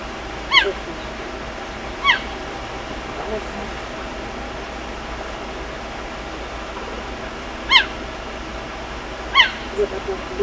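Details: A cheetah in the bush calls frantically for her cubs with sharp, high, bird-like chirps spaced seconds apart.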